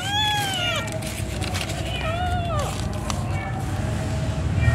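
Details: Domestic cat around the birth of her kittens, giving a run of short meows that slide downward, about four in five seconds, over a constant loud rumbling background and faint voices.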